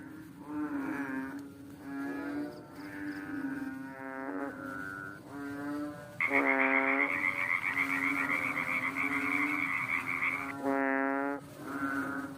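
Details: A frog calling one night with a series of deep, moaning, tonal notes, each about a second long, repeated at short gaps, joined midway by a loud, steady, high buzzing trill lasting several seconds.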